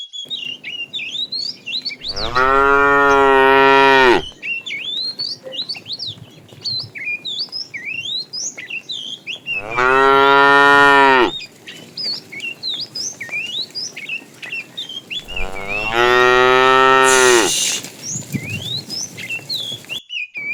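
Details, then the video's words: Tame cows walking as a herd along a road searching for food. Three sustained moos of about two seconds each come roughly every seven seconds, over continuous lively bird chirping and whistling. "Funny cow sounds"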